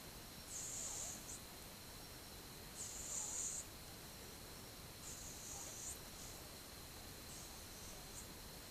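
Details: Sleeping twelve-month-old cat, 8 October 2015, with quiet rhythmic snores: breathy hisses about every two and a half seconds, the last ones fading softer, over a low room hum.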